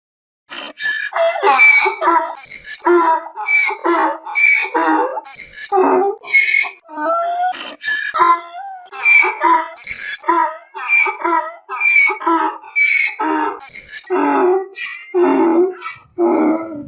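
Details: Donkey braying in a long unbroken series, bright strained high notes alternating with lower, rougher harmonic gasps about twice a second, each burst hoarse and reedy, with no other sounds around it.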